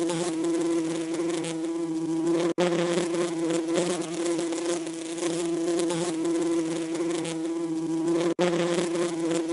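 A steady, low droning buzz of bees, rich in overtones and holding an even pitch throughout.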